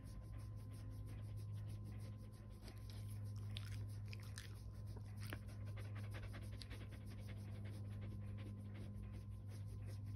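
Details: Kumo, a fluffy Keeshond, pants softly and steadily while enjoying being petted. The breaths are quiet and breathy over a constant low hum.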